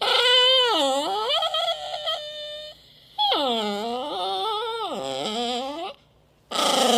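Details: Chihuahua-Basenji mix dog. A Chihuahua-Basenji mix dog gives two long, drawn-out crying whines, each sliding low before rising again in a yodel-like wail. A short burst of rustling noise follows at the end.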